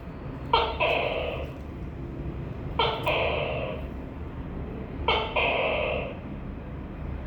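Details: Tokay gecko calling three times, about every two and a quarter seconds; each call is a sharp click followed by a hoarse, two-part croaking syllable, heard against low background hum.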